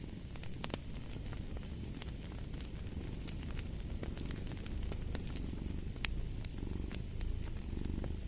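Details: Low rumbling purring from a cat continues evenly, growing slightly stronger toward the end, mixed with bursts of crackling and snapping from a fire in a fireplace.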